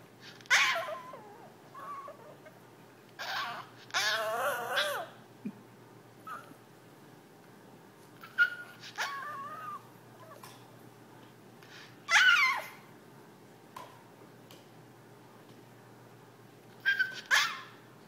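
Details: Jack, a pet Yorkshire terrier indoors, begging his owners to play: high, wavering whines and short sharp yips come in scattered bursts, several squeaky harmonic cries near the start and a louder yelp around the middle, with quiet pauses between.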